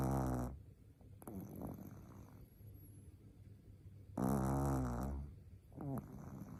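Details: Four-month-old Shih Tzu puppy named Nao asleep, giving two loud, rasping snores with a rough buzzy tone, one at the start and one about four seconds later, with soft breathing rumbles between them.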